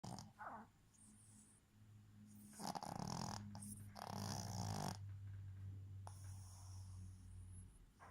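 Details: A female Boston Terrier sleeping with her eyes open snores with a low, droning rumble broken by rougher, noisier breaths; her owner wonders if she is dreaming.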